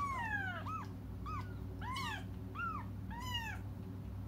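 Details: Kittens crying while waiting for their mother to come back; a series of high, arched harmonic mews, about five overlapping cries in quick succession, over a steady low indoor hum.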